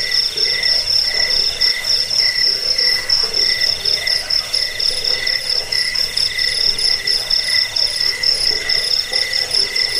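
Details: Several crickets calling at once, the recording intended to chase away rats, lull to sleep and train birds; continuous shrill trilling with brisk regular pulses around four per second.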